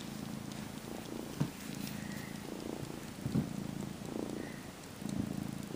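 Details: About 12-week-old domestic kitten purring while sleepily sucking on a faux fur blanket and kneading, mock nursing indoors; steady low rumbling purr in rhythmic pulses, rising and falling with each breath, with faint soft clicks.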